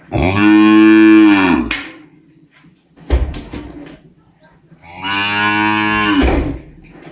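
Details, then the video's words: Calf on a small farm bellowing and mooing: two drawn-out moos with a curved, slightly rising then falling tone, each about one and a half seconds, separated by a brief knock and low background noise. "Som de Bezerro berrando e mugindo"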